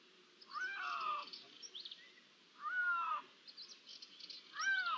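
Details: Iberian lynx meows recorded on 16 June 2023, possibly more than one animal: three drawn-out, slightly falling mewing calls about two seconds apart, each lasting around half a second, over faint ambient noise.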